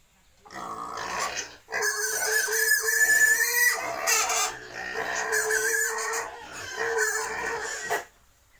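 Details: Pigs kept by wild and domestic pig breeders in Cambodia: loud, harmonic, drawn-out squealing in three long bursts separated by short pauses, strong and steady in pitch, with rougher grunting noise at the start.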